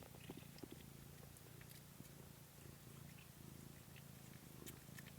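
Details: Kittens recorded indoors on 13 March 2017, giving a steady low rumbling purr that runs unbroken through the whole stretch, with faint soft ticks and rustles above it.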